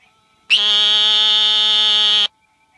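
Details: An adult male Eastern narrowmouth toad calling at night at the University of Mississippi Field Station: a single steady, nasal buzz, like a bleating lamb, lasting nearly two seconds.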